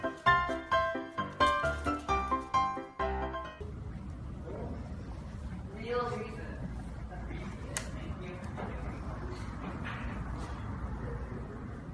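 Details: Upbeat music plays for a few seconds, then gives way to indistinct talking over steady room noise, with no clear animal sound.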